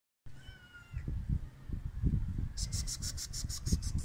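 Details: Hungry stray cats being fed: one short, steady, clear meow near the start, then a run of quick scratchy ticking pulses over a constant low rumbling background.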